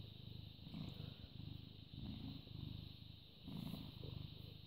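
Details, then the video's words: British Shorthair cat, born 18 August 2010, purring on 14 May 2017 at 09:16 in the morning: a low, rumbling vibration that swells and fades in breath-like cycles about every second, over a steady faint high-pitched hum. "British Shorthair Cat purring"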